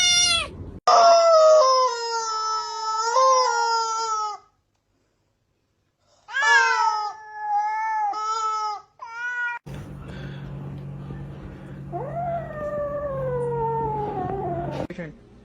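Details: Cats meowing in a funny sequence: long, drawn-out harmonic yowls, two sustained wavering cries separated by a short silence, then a rising-and-falling wail over a low steady hum.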